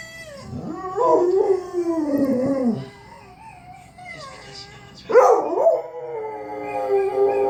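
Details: Domestic dog howling along to a recording meant to make dogs howl; long wavering howls sliding down, a quiet gap, then a sharp rising howl that settles into a steady held tone, with faint softer howls from the recording beneath.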